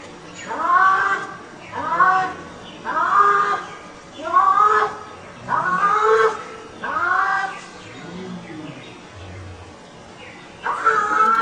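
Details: Cats talking to each other: a series of seven drawn-out, arching meows, each about a second long, coming roughly every one to one and a half seconds, with a faint low background hum.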